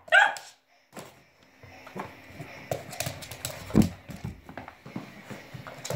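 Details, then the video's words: Max, a Cavalier King Charles Spaniel puppy, playing with a balloon at home: one sharp bark at the start, then quieter household rustling and knocks. "YAVRU KÖPEK HAVLAMA SESİ - CAVALİER KİNG CHARLES"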